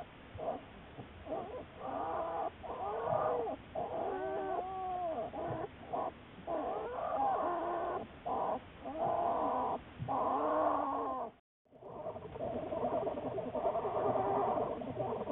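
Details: March 1, 2014 recording of Juliet, an American black bear studied at the Wildlife Research Institute; almost continuous rapid, pulsing, wavering whines and squeals with rich harmonics, briefly cut by a silent gap, then resuming steadily.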